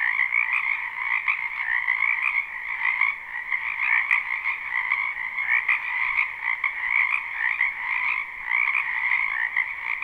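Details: Croaking frogs massed in a spring wetland behind a home, recorded live; the chorus runs as an even, high, rattling trill, swelling and easing gently, with one brief click midway.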